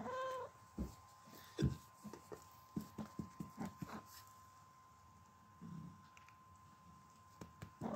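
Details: Yara the cat, indoors, calling back after her owner says "hey": a brief, drawn-out meow-like call opens, followed by a string of soft, irregular clicks and taps and low room noise, with a steady faint hum throughout.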